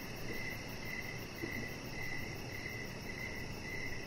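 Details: Evening crickets outside near a deck give repeated short, high-pitched chirp bursts about every half second, even and unbroken, set against a steady low murmur of background noise.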